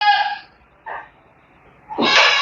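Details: Kaligesing goat kids (cempe) at a farm pen: two harmonic, nasal bleats, one at the start and a louder, longer one near the end, with a short faint bleat between them.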